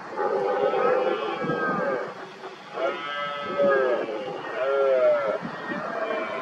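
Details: Red deer stags roaring during the 2023 rut, rivals working each other up around an injured dominant stag with hinds nearby; repeated drawn-out bellowing roars with wavering harmonic tones, several overlapping bouts at roughly two-second intervals.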